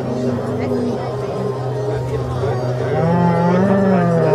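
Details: Holstein and Red Holstein cattle led into the judging ring at a cattle show in Zürich Unterland, Switzerland, on 26 April 2014; a low, drawn-out moo swells and rises toward the end over a steady hum and a brief human voice.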